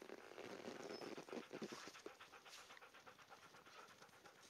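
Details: Siberian Husky dogs enjoying the snow during a short break outdoors; quick rhythmic panting breaths, about four per second, with a soft broadband hiss behind them.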